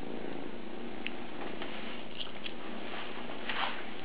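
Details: A two-month-old Maine Coon kitten purring indoors, a steady low rumble throughout with a few faint higher clicks and rustles.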